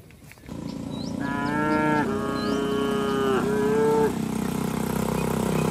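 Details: Village cattle heading home to the shed, calling to herd mates that arrived earlier: one long, steady moo of about three seconds with a dip near the end, over a constant background hum and faint bird chirps.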